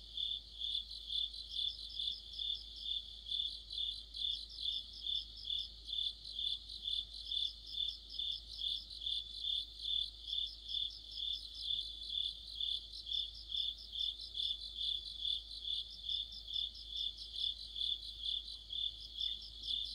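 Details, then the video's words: Crickets and other insects singing together in the depth of autumn near a streetlamp: a dense, high-pitched chirping chorus of rapid pulsed trills, repeating steadily throughout, with a faint low background hum and no other clear sounds. "가을의 한 복판 곤충들의 합창"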